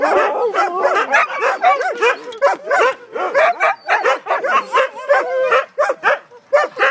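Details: Several Siberian Huskies talking together: a dense stream of rapid yowling, arched woo sounds and yips, overlapping without pause, voices rising and falling in quick succession.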